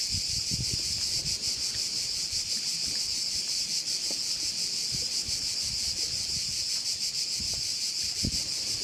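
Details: On Korčula in Croatia, crickets by a bay keep up a steady, shrill, fast-pulsing drone throughout, with light low wind thumps underneath.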